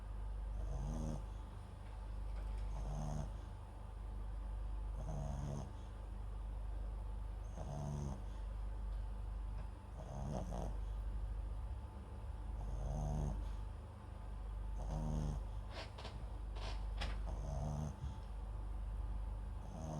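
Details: Gentle rhythmic snoring from MAX, a Papillon × Japanese Chin mix asleep beside a microphone; rasping breaths roughly every two and a half seconds, with a few sharp clicks around the sixteenth second and low hum beneath.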